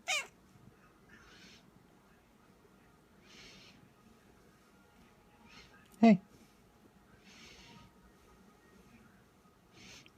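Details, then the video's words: A hungry cat gives two short, sharp chirping meows about six seconds apart, each sliding steeply in pitch. Soft breathy hissing sounds recur between them in an otherwise quiet room. "Cat chatter talking"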